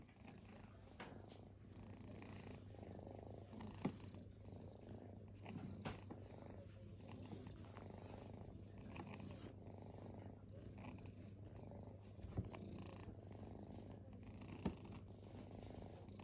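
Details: Kittens once homeless rest indoors and purr continuously, a deep even rumble held throughout, with occasional sharp clicks and light handling noises.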